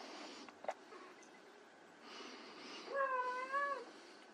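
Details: Indoors, white Persian kittens playing: soft rustling and a click, then a single wavering, slightly rising meow lasting under a second.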